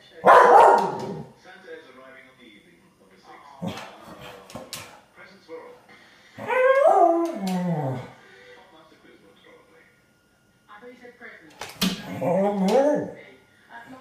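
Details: A Staffordshire Bull Terrier that has spotted a grey squirrel in the garden gives a few strained, yelping barks that slide up and down in pitch.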